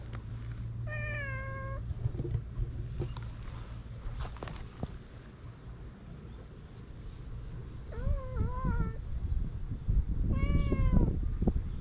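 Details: Stray brown tabby-and-white cat on a cat island in Japan, being tickled, filmed on a GoPro: three drawn-out, slightly wavering meows, one early and two close together near the end, over low rumbling handling noise and thumps.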